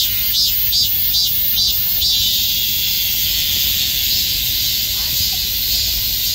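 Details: Many cicadas packed together like bees, calling simultaneously in summer, opening with a quick series of pulsing buzzes that fade into a smooth, continuous high-pitched drone.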